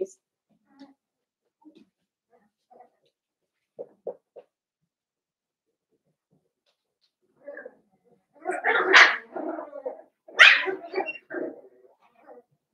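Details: Litter of five Blenheim Cavalier King Charles Spaniel puppies kept indoors in a home puppy pen. Scattered soft squeaks, then two loud clusters of harsh, rough puppy barking and growly yapping, the second just after ten seconds.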